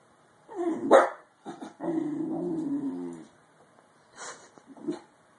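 A Bull Terrier puppy gives a squeaky, whining yawn that slides gently downward in pitch.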